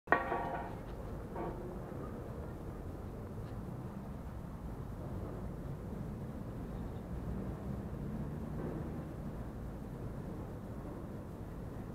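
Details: A steady low rumble like passing traffic or machinery, with no animal voices. A brief knock opens the recording, and the droning hum continues unchanged throughout.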